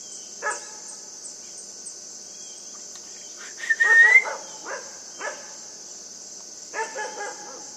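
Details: Puppy Yufie at play with a buck: scattered single yaps, a louder whining squeal in the middle, then a few more short barks, all over a continuous high insect chorus.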